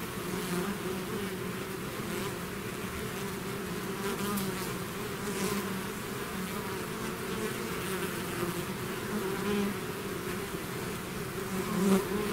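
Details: A bee swarm out of its hive, buzzing naturally: a dense, steady drone with low humming bands and overlapping individual bees passing close, continuous throughout with slight swells in loudness.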